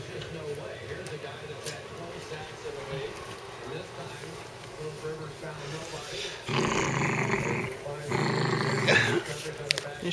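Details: Dachshund; growl; guarding his bone, warning the owner away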